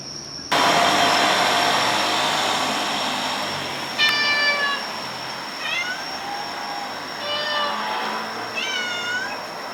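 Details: Stray or community cat, filmed between summer 2016 and winter 2017, meowing four times about every one and a half seconds. The cries are clear and bent, rising then falling, over a steady shrill insect hum and a low background rumble.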